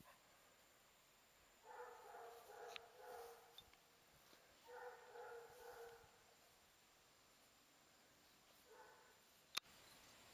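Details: Clarence, a Basset Hound picked up as a stray and now a shelter dog up for adoption, gives two groups of drawn-out, tonal bays around two and five seconds, then one short bay near the end, over a steady low hiss.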